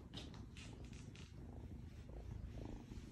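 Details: Female foster kitten purring loudly while being loved and played with; a continuous deep rumbling purr with a few brief rustling sounds near the start.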